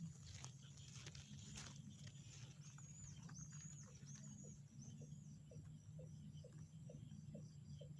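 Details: Frogs calling in a tranquil outdoor setting. A few sharp clicks and rustles open the recording, then a regular series of short knocking notes follows, about one every half second, with constant insect whine overhead.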